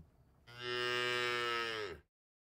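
A cow gives one long, steady, low moo that drops slightly in pitch as it ends.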